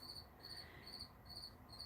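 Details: A cricket sings high, pure chirps in short bursts, about twice a second, on an October 6th morning as cool weather arrives.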